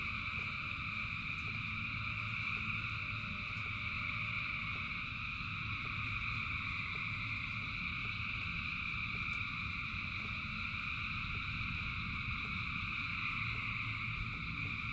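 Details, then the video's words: Thousands of frogs singing in rain: a dense, unbroken chorus forms steady layered trilling bands, with a broad low rumble of rainfall underneath throughout. "Frogs in Rain 2 Hours of Frogs, Thousands of Frogs Singing"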